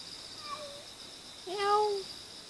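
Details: Cute wild cat in Jeonju, North Jeolla Province, Korea, giving a faint short mew, then a louder drawn-out meow that holds level and falls away, against a steady high insect drone.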